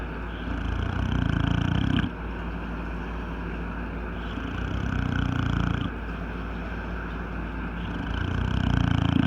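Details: Old male English Bulldog snoring, a dog that snores both asleep and awake: low, rattling rumbles in long bursts of one to two seconds, separated by quieter breathing roughly every four seconds, over a steady low hum.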